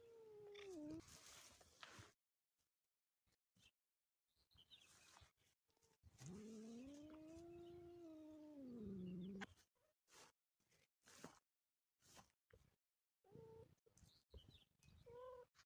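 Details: Motherless kitten crying: a short falling meow, then a long, arching wail lasting over three seconds, broken by silences, clicks and rustles, ending with several brief, quieter meows.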